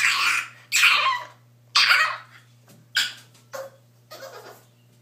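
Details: Tank, a French bulldog puppy, cries in a bath tub: raspy, breathy whining bursts roughly once a second, the first three long and loud, then shorter, fainter whimpers trailing off toward the end.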